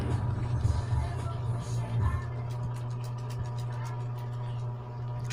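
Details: A constant low engine-like drone fills the recording, with some muffled background sound and no animal voice.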